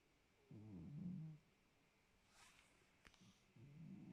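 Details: Noirette, a pet cat, snores in low rumbling breaths, one long exhale followed by a quiet gap with a soft click, then the next breath starting near the end.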